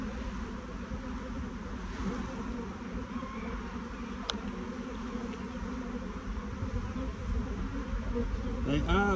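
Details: Excited honey bee swarm moving down toward the top of the hive while the queen is searched for, thick continuous low buzz with a single click and a whining bee passing close at the end.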